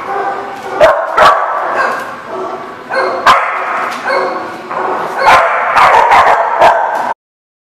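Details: Several dogs bark at a lot in bursts of rough, overlapping barks and yips, about two to three a second, then the sound cuts off abruptly near the end.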